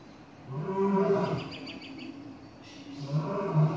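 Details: Lion at Atlanta Zoo, where the lions were vocal and playful, including blonde males, one hidden behind rocks; two deep, low, moaning roars with rich harmonics, the first about a second long, the second shorter, separated by a quieter pause.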